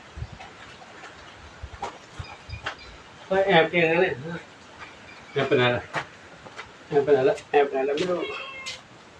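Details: Domestic cats, a small one and a big one, playing with a revered elderly monk at Wat Pong Chai temple, Chae Hom, Lampang, Thailand; several drawn-out harmonic meows in three bursts, mixed with nearby speech and light background clicks.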